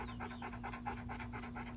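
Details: Bo, a male pet dog, pants in rapid regular puffs through a short stretch, with a constant low hum underneath.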